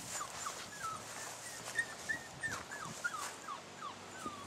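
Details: Six-week-old puppies at day 42; a run of thin, high whimpering squeaks, short rising and falling whines repeated about three times a second, with a soft murmuring voice in the background.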